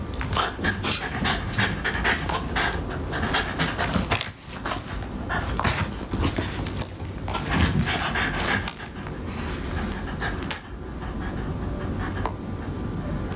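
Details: French Bulldog panting and breathing noisily indoors while eating dog cupcakes, with rapid irregular bursts of huffing breaths and wet mouth and chewing noises throughout, and brief quieter gaps near the middle and end.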